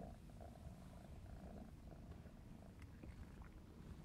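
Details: Clarence, a 4½-month-old black smoke Maine Coon kitten, purring while playing indoors: a steady low rumbling vibration throughout, with faint scattered clicks and rustles above.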